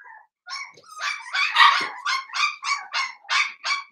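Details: Blenheim Cavalier King Charles Spaniel puppies, seven weeks old, in an indoor puppy pen: a rapid run of high, harmonic yaps, about eight in four seconds, growing louder and more insistent midway.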